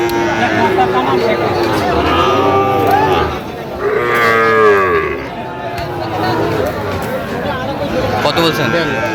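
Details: Sahiwal breed bull calves for sale at the Aftabganj cattle market, Mymensingh, Bangladesh, 27 September; two long, wavering moos about a second apart over busy market talk and a background murmur of people.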